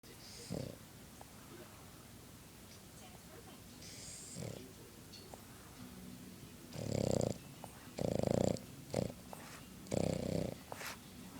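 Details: A contented, sleeping Boston Terrier snores in low, rough snorts that come at uneven intervals.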